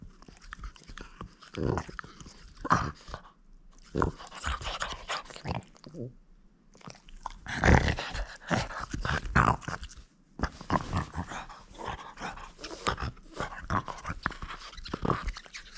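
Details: French Bulldog at play, refusing to give up its toy: rough, noisy growling and grunting in uneven bursts, with brief quiet gaps near six and ten seconds, plus crunching and chewing sounds throughout.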